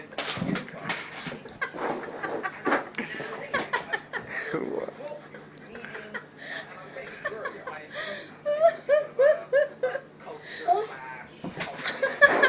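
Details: A male stud Alaskan Malamute courts the household female in mating season with rapid, yodeling woo-woo vocalizing and whines; she seems unimpressed.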